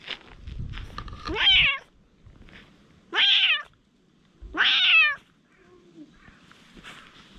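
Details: Stray cats in a quarrel give three short, high, downward-bending meows about a second and a half apart, separated by quiet gaps with faint rustling and low background noise.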